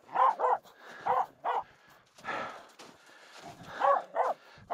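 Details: Finnish Spitz on a snow crossing up Mulen barking at two reindeer walking close; irregular barks in pairs and singles, with a stretch of muffled human speech and footsteps in the middle.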